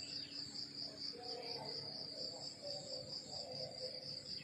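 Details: Crickets chirp on a countryside morning, a bright high pulsed trill beating steadily about twice a second, over quiet lower rustling sounds.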